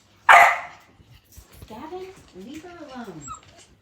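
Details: During play, an Australian Cattle Dog puppy lets out one loud, harsh bark, followed by a run of wavering, rising-and-falling whines and grumbling growls at lower volume.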